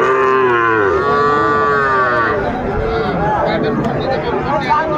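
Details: Young Sahiwal bull calves at Aftabganj market in Dinajpur district, Bangladesh, 11 February 2025; a loud, rich, two-second moo that sags in pitch, then softer overlapping calls amid busy market voices.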